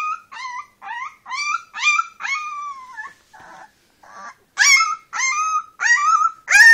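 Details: Brown female Leonberger puppy taking her first steps with eyes newly open, giving a string of high, rising-then-falling whining yelps with rich overtones, roughly twice a second, with a short scuffling pause midway.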